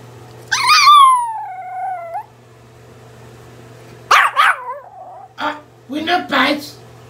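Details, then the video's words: Giovanni, a Pomeranian puppy scolded for biting, gives one drawn-out descending whine of over a second, then after a pause short yelping cries mixed with a man's speech. "Cutest Pomeranian puppy swears he no bites then cries funny"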